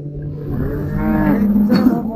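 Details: At the Çayırbağ livestock market in Afyonkarahisar, 2024, where sacrificial cattle and calves are sold, one animal lets out a loud, deep, rich moo lasting about a second and a half over market background noise.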